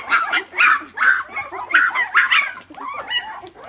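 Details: Young puppies, week two, let out loud, quick yelping squeals, about six sharp bursts in under four seconds, each with a rising-and-falling whine, a crowded, insistent chorus.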